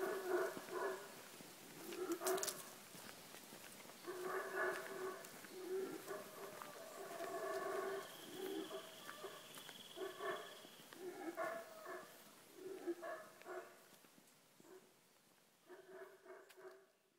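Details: Guatemalan black howler monkey recorded on a morning walk through Tikal National Park, Guatemala; rough, guttural roaring bursts come in uneven series, rising and fading in loudness, with a thin steady high tone briefly in the background.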